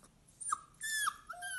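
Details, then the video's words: Soft, high whimpers from a talking Siberian Husky indoors: thin, slightly falling whines in short pieces, quiet against a faint background hiss. "Talking Siberian Husky"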